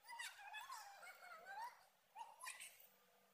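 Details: Long, drawn-out wavering meow from a pet cat in Koralawella, Sri Lanka, bending up and down in pitch for over a second, followed after a pause by a shorter, sharper meow, with faint room hum behind.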